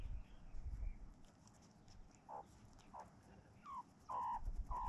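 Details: Meerkat mob grooming one another and sunning in a quiet farm yard: short, clear chirping calls, slightly falling in pitch, come irregularly, growing more frequent toward the end, over low rustling and handling noise.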